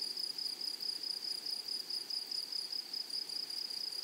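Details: Brief stretch of grasshopper song from a flowering meadow prairie: a sharp, high-pitched insect buzz pulsing a few times per second, even and unbroken throughout.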